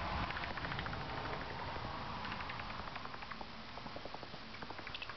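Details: Rapid, fairly regular ticking clicks, about three or four a second, come from an angry bat tucked out of sight in carport rafters at night, with a low hum throughout.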